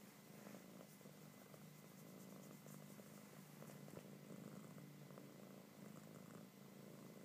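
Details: A kitten enjoys being petted and purrs loudly, a continuous low throbbing rumble with a soft, regular in-and-out breathing rhythm throughout and faint handling noises in a quiet room.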